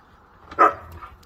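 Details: One Siberian Husky in a rough play session with its packmates gives a single short, sharp bark, rising quickly and fading within half a second over quiet background.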